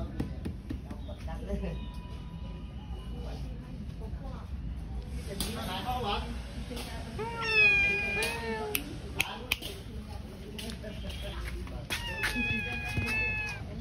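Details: Cat visited at a pagoda, giving a few drawn-out, arching meows with rich harmonics in the second half, one rising then falling sharply, over steady background chatter, voices and faint music.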